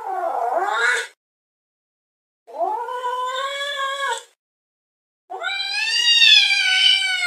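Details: Fluffy cat at a window, gazing outside with curiosity, utters three drawn-out, whining yowls separated by pauses; the last one is longest, higher and strained.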